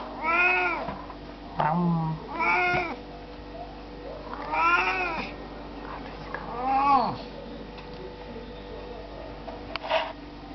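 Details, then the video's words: Oriental cats yawning indoors: four or five squeaky, arching vocal yawns, each rising then falling in pitch, spaced a couple of seconds apart, with a soft voice and light handling noise in between. "Yawning Oriental Cats"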